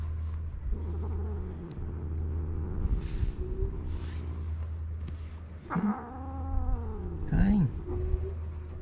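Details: Karin, a ferocious stray cat in a Japanese park, jealous and irritated by a walking companion: a drawn-out, wavering yowl that bends down and back up late in the clip, over a steady low rumble.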